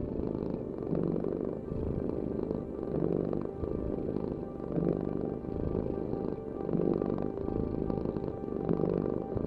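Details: Domestic cat purring steadily, a dense low rumbling vibration that swells and eases in breath cycles roughly every two seconds, with faint tonal hum above it.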